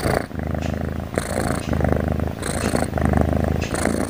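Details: A cat sound asleep, snoring in a continuous deep buzzing rumble, with breathy hisses recurring about every 1.2 seconds as it breathes in and out.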